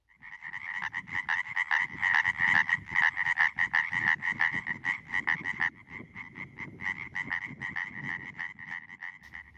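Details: European tree frog males calling from their spawning pond after sunset in late spring, courting females: a dense chorus of rapid, nasal, rattling pulses repeated steadily, several frogs overlapping, with a low hum beneath and the chorus thinning after six seconds.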